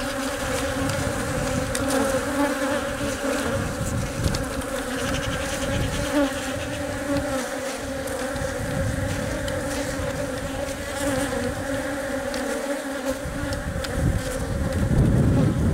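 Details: Honey bees inside a hive while the queen lays eggs and workers protect and feed her; a dense, steady hum with a strong low drone and layered tones, fluctuating slightly in loudness, with faint scratchy crawling sounds.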